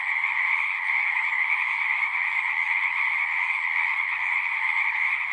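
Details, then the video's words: Frogs singing together in the wild produce a steady, shimmering drone of fast rattling croaks in two stacked pitch layers, loud and uninterrupted, with only faint low rumbles beneath. "One hour of singing frogs."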